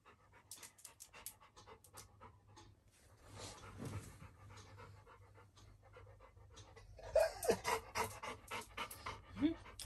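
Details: Little John, a Labrador Retriever puppy, indoors after entering a bedroom and crying for the air conditioning. Quick irregular panting breaths, then short high whines near the end. A woman speaks Tamil over it.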